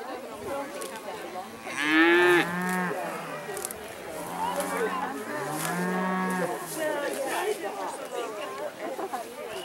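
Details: Dairy cattle on spring pasture for the first time give several moos over ten seconds, a loud rising bellow near the start followed by lower, longer moos from more than one animal, amid light background rustle.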